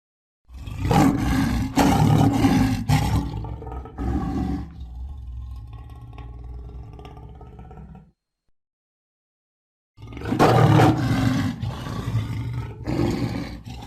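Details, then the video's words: Roaring lion: a series of heavy, rasping roar pulses, fading into softer grunting rumbles, then after a silence a fresh burst of loud roars. "صوت الأسد - زئير الأسد - Lion Roar"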